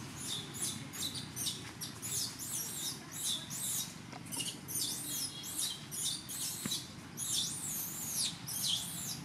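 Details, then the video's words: Jovie, a thin temple monkey in Cambodia, yelling at its mother to ask for milk: continuous high, arching screams, rising and falling in quick wavering loops, repeated almost without pause over faint low background noise. "Poor Skinny Monkey Jovie Alert Mom With Yelling For Request Milk"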